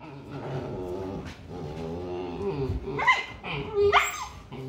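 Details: Husky mom correcting her pups with a steady, drawn-out harmonic growl, followed by two short, high squealing yelps close together near the end.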